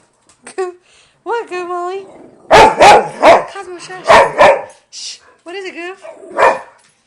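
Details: A hungry female dog asking for dinner mixes whining cries with a burst of sharp, rapid barks, then whines again, while a person talks to her indoors.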